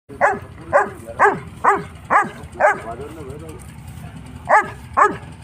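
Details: A six-month-old Saint Bernard puppy barks at a goat in a steady series of deep, throaty woofs, about two each second.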